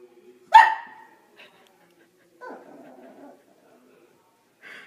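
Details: Pet dog letting out a single sharp bark, followed by softer rough vocal sounds and a brief faint call at the end.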